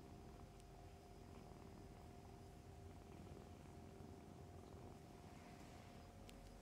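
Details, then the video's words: Nursing foster kittens with their mother cat indoors, Humane Society of North Texas litter; dense low continuous purring fills the whole stretch, steady and unbroken, with a faint tonal hum in the background. "Kittens Nursing, Purring, Playing"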